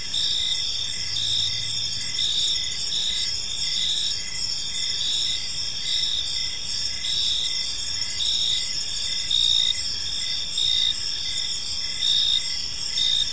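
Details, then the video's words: Gentle evening cricket chorus in a peaceful park: high, shrill pulsed chirps repeating in steady rhythm over a continuous buzzing background, with a faint low hum early on. "Park Serenade: Cricket Sounds in a Peaceful Park | Evening Ambience"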